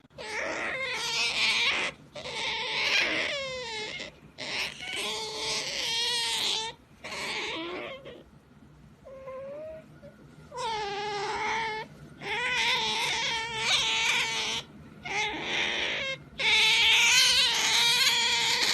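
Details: Pet otter making funny noises while being pampered: a long run of loud, high squealing cries with strong harmonics, wavering and bending up and down in pitch, in bursts of one to two seconds with a brief quieter pause midway.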